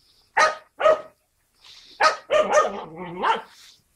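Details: Skye Terrier puppies, filmed 5 June 2016: two sharp barks, then a run of yelping, whining barks that slide up and down in a high, strained voice, all within a few seconds.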